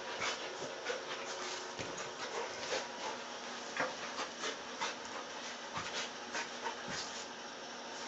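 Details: A pet dog named Dog, tied up, pants in a steady breathy rhythm of soft hissing bursts, roughly one or two per second, with faint rustling in the background.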